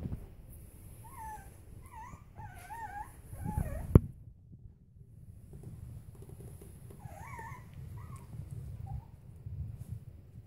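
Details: Bolonka puppy, five weeks old, playing: wavering, up-and-down whimpers in quick groups, a pause with a sharp knock, then another burst of squeaky whines over steady rustling.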